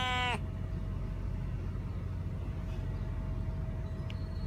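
A Siamese cat gives one brief, bleating meow that sounds rather like a sheep.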